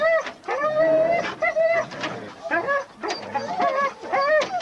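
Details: Huskies at a sled dog race weekend in the Forest of Dean, November 2001, taped on VHS: several dogs yelp and howl in overlapping bursts, each cry a bright harmonic wail that rises and falls, with short gaps between.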